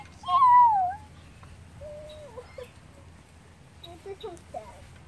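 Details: Several Miniature Schnauzer puppies whine: a loud wavering, falling whimper, then softer squeaky yelps.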